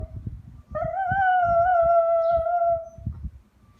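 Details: Pet dog giving one long, steady howl that holds a level tone for about two seconds, then fades. Soft, low rhythmic thumps pulse underneath throughout.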